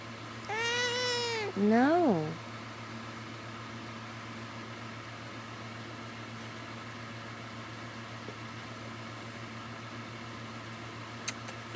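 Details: Indoors, a female pet cat waving for attention beside her owner in bed meows twice in quick succession: a clear, drawn-out mew, then a shorter one bending up and falling away, followed by quiet room hum and a faint tap.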